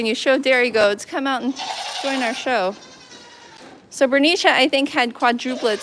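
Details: Goat at The Willful Goat Farm & Home during a live farm broadcast. Several loud, wavering bleats come in quick bursts, then a hissy pause, then more quavering bleats. Human voices are audible between them.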